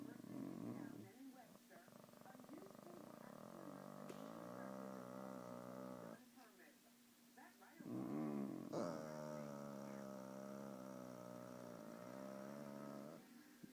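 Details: Pet Shih Tzu growling like a chainsaw: long, steady, buzzing drones that hold an even pitch for several seconds, broken by short pauses, with a person's voice joining in between.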